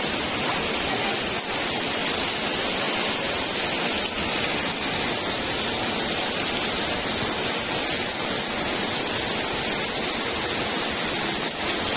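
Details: Steady hiss of heavy rain or rushing water with no animal sounds. The broad, even wash of noise holds without a break and nothing rises above it.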